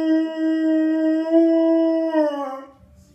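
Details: A Rottweiler "sings" along to familiar melodies or jingles, holding a sustained, mellow, nearly level howl for over two seconds that bends down and fades into quiet room noise.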